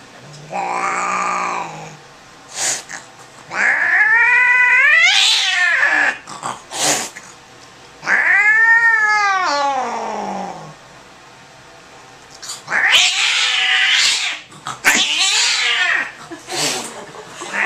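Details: Angry male cat being examined gives long, drawn-out yowls that rise and then fall in pitch, roughly five of them separated by pauses, with short bursts of hissing noise in between, indoors.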